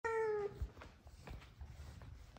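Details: F2 Savannah cat indoors, one of two happy cats with their owner: a single steady meow lasting about half a second, followed by soft room noise and faint handling sounds.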